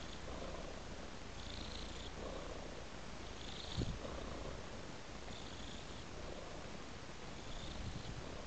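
A tabby cat purrs steadily, a low rumbling hum that swells and fades with each breath.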